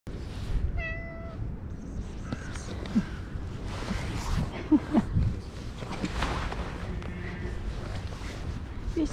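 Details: Stray orange cat gives one short, clear meow near the start, then a woman speaks softly and coaxingly to it, with faint rustling outdoors.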